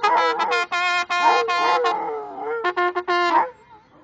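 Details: Rhodesian Ridgeback Obi One sings with a trumpet in Bogota: a wavering, sliding howl rises and falls through the first two seconds, then short trumpet blasts and a fading howl end the clip.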